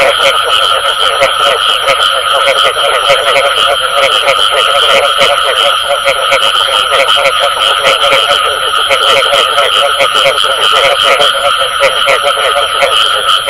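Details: Frogs calling with the bù tọt sound, a dense chorus of rapid, overlapping croaking pulses that runs without pause, with a thin steady high whine running throughout.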